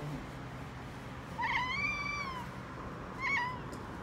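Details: Housecats in Okinawa, a big black male chattering at birds in a gentle voice and a five-month-old calico kitten replying: one drawn-out, arched, chirping mew followed by a shorter bright chirp, over faint low background hum.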